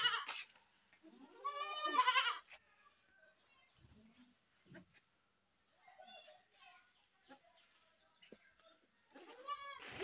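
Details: Goat screaming: one long, loud, quavering bleat rich in harmonics near two seconds, then quieter knocks and faint sounds, and a second wavering scream begins at the very end.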